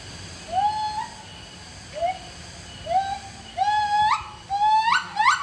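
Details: Siamang (Symphalangus syndactylus), call.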